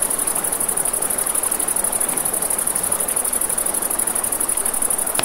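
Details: Nighttime riverside crickets keep up an unbroken shrill pulsing buzz, with snapping fire crackles and a soft river wash underneath; one sharp crack near the end.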